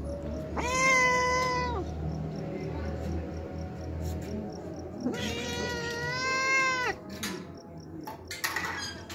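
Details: A hungry homeless cat that comes daily to drink milk gives two long, drawn-out meows, steady in pitch, separated by about three seconds. Background music and a low hum.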